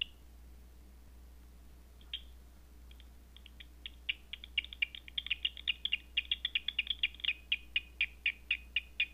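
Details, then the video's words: Bat echolocation at night, picked up with a Batseeker 4 detector: after near silence, sharp clicking pulses begin and speed up into a steady, fairly even train of pops, about two per second overall. "Batseeker 4 picking up Night Bat Sounds"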